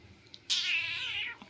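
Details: Quarrelsome pet cat, called a girl, sulking after being told she won't get a massage, indoors in a small room: one loud, drawn-out, strained meow lasting under a second, starting high and sliding gently downward, then quiet.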